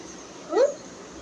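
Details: Pregnant domestic cat, kept indoors and unable to go outside, gives a single short mew that rises and falls, tonal with clear harmonics; a woman talks to it before and after in a quiet room.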